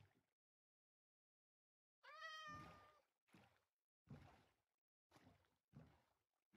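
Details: Persian cat arriving in Hanoi, Vietnam, after hours of travel: one long clear meow that rises and then holds steady, followed by several dull low thumps and bumping sounds.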